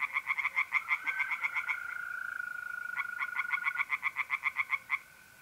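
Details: Pond tree frogs calling at night in mid-April in north-east Italy, giving rapid strings of sharp, evenly pulsed croaks that briefly pause and resume, while mole crickets keep up a continuous, even trill.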